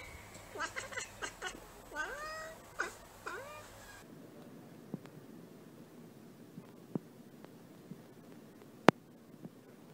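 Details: Bengal cat producing a quick string of short, bending meows over the first few seconds, some rising then dropping in pitch, followed by near silence broken by a few faint clicks and taps.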